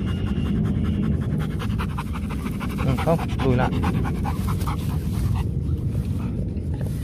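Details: Rottweiler from the Gervi kennel in Vietnam, one of the champion pair Bruno and Melsee, panting rapidly and steadily in quick rhythmic breaths, with a short burst of human voices and laughter midway through.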